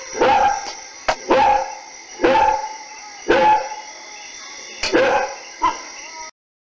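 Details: Dogs barking at night: six loud, harsh barks spaced roughly a second apart, some doubled, with short quieter yelps between, over a steady high-pitched hum in the background.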